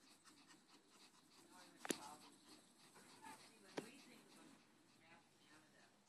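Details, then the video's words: Dora, a Yorkshire Terrier, pants while holding a ball in her mouth: soft, breathy, rapid puffs at low volume, broken by two sharp clicks. "Dora the Yorkie pants holding ball."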